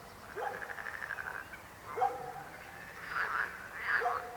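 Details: A frog gives a fast pulsed rattling croak lasting about a second, followed by a sharper single croak and then louder overlapping rough croaks.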